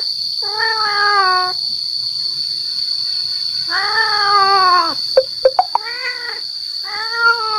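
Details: Male cat calling to attract females: long drawn-out wavering yowls, each about a second long, then a rapid burst of short sharp cries. A steady high-pitched electronic whine runs underneath throughout.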